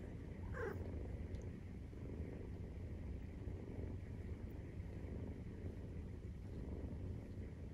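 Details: Continuous deep, throbbing purr from a Maine Coon at nursing time, 43 days after birth, with a brief faint high squeak near the start over the rumble.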